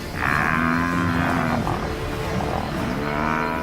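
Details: Lone wild African buffalo in Zambia bellowing to bring in reinforcements, a distress call that can bring herds to the rescue; a long, loud harmonic bellow held for about a second and a half, then a lower, wavering continuation, with music underneath.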